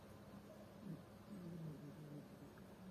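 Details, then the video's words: Domestic cat named Barsik snoring while asleep: soft, low rhythmic breathy rumbles with a faint tonal buzz, swelling and fading over a few seconds, with a quiet indoor hum behind. "Барсик храпит"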